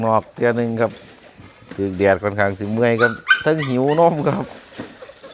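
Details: Hungry Pit Bull puppies whining: a run of short, harmonic whimpers and yelps at uneven spacing, then longer wavering rising and falling whines, with laughter just before and after.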